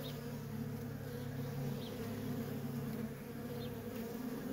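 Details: Constant drone of worker honey bees streaming in and out of a feral colony, a thick unbroken layered hum with strong low bands and no other clear sounds.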